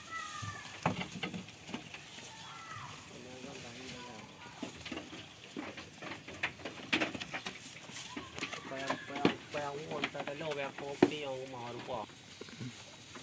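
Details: Goats on a farm, playing and eating: a few short early calls, then a run of quavering, wavering bleats in close succession, over steady clicking, rustling feeding noises.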